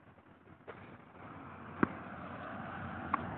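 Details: Quiet background hum with a few sharp knocks and no animal voice.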